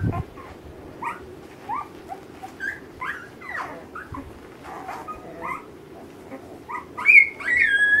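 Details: Litter of Alaskan Malamute puppies aged ten days, 2013, seeking their mother, make many short squeaky whines and yips, several a second, rising toward a longer, louder, high wavering cry at the end.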